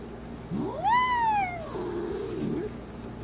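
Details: A puffed-up domestic cat gives one drawn-out meow that rises, peaks and slides down over about a second, then trails into a lower, softer wavering cry, with a steady low hum behind.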